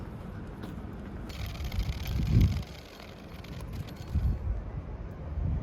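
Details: Outdoor wind rumble buffets the microphone, swelling in low gusts with a brief rustling burst, no animal voice audible.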